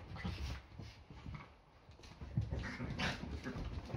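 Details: Yorkshire Terrier play fighting on an ordinary Sunday, part of a daily morning round of fights before breakfast; soft, low rumbling growls come in short bursts with a quieter stretch in the middle, plus scuffling noises.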